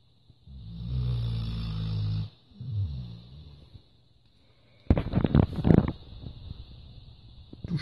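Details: A Labrador named Lilly snores in a deep, rattling rumble: one long breath, then a shorter one, followed by loud rustling and handling noises.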